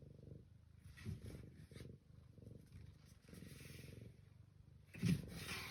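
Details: Domestic cat purring on 21 April 2026: a low, rumbling purr in rhythmic pulses, each breath cycle lasting under a second, with soft hissing noise above and a louder rustle near the end.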